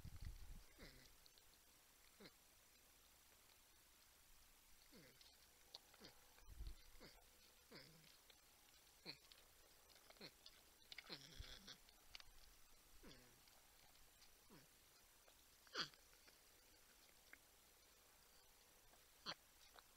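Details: Faint, sliding, falling hums from porcupines filmed by the Texas Wildlife Cam at San Angelo, Texas, spaced irregularly with brief clicks and rustles between them.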